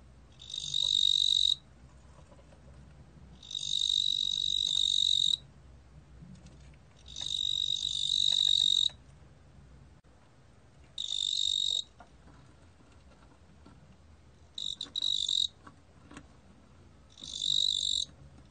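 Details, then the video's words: Korean 뚱보귀뚜라미 cricket repeating bright, rasping high trills about six times. Early bursts last over a second and a half, later ones grow shorter and more broken, with quiet pauses and faint background noise between them. "뚱보귀뚜라미, 여러번 듣기, 곤충소리"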